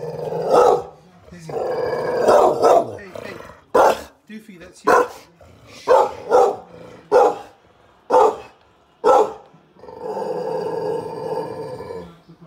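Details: Lizzie, a rescue Staffordshire Bull Terrier x Rhodesian Ridgeback, guards her wheelchair-bound owner against a suspicious stranger outside the door: a run of sharp, evenly spaced barks between longer rough, growling stretches, with a person's voice at the start.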